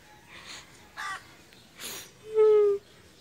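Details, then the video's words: Annoyed father cat, upset when its tail is touched, gives breathy hissing puffs, then one loud, steady, drawn-out low yowl lasting under half a second. "ANGRY father cat!!😡 Don't thouch my tail!"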